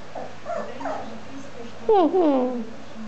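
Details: Thirteen-week-old Lhasa Apso puppy at play with a teddy bear gives a brief squealing whine with falling, wavering tones, preceded by soft low grumbling sounds and a steady low room hum.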